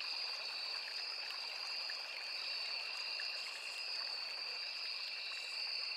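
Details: Crickets in a forest by a small river, a steady chorus of two high, unbroken trilling bands with one sharp pitched line on top, over the soft, constant wash of flowing water.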